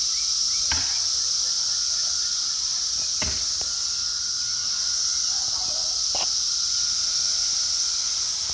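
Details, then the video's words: A dense chorus of Brood X periodical cicadas forms a steady, high, hissing drone with a fainter lower hum during the emergence in Towson, Maryland, on 22 May 2021. "Cicada Chorus in Towson, MD"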